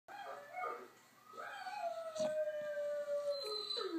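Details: Domestic dog howling at the television, a long sustained wavering howl sliding slowly downward over several seconds, with shorter rising yelps before it, music playing in the background.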